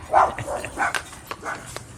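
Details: Puppies on a walk bark at someone walking down the street: a few short, sharp yaps in quick succession, with outdoor background noise.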